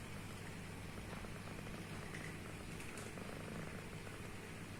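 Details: A domestic cat snoring loudly while asleep: a steady, low rumbling drone with faint rhythmic pulsing throughout, quiet overall, with no other clear sounds.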